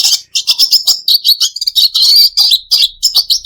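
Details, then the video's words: Red siskin kept as a pet, delivering a lively run of sharp chirps and scratchy trills, high and rapid, with short whistled slides near the middle. "Charming Bird Calls for Relaxation red siskin bird"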